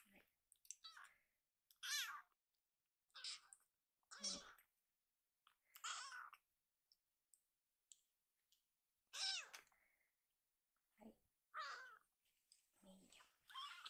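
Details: Rescued baby kitten calling loudly for a second helping of food indoors, a series of short harmonic meows every one to two seconds over about fourteen seconds, with faint clicking between calls.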